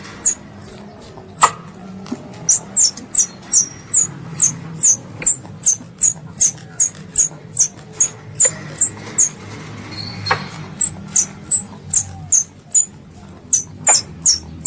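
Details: Pest squirrel calling to its mother, a long fast run of shrill, downward-slurred squeaks repeated steadily two or three times a second, with a few sharp clicks and faint low rumble.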